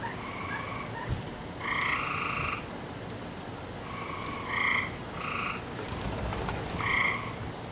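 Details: Nighttime frog chorus from 17 May 2012, typical of every night in this season: short, bright, harmonic croaks in uneven bursts, some overlapping, about one every few seconds, with a faint thump and steady background hiss.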